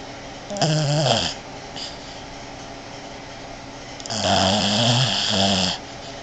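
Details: A female Boston Terrier snores like a man while sleeping on her owner's bed, two long, rasping breaths with a deep, rattling tone.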